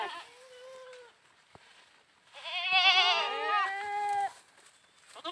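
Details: Playing goats: a soft, steady bleat first, then a loud, long, wavering bleat lasting about two seconds with other goats faintly joining.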